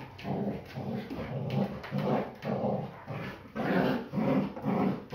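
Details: Belgian Malinois named Anya play fighting, with no biting; rhythmic low growls and grunting bursts repeat roughly twice per second, each a rough pulsing rumble with breathy noise in between, indoors.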